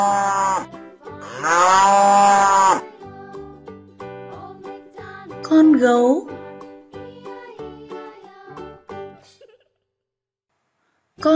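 A cow gives a long, drawn-out moo over cheerful background music.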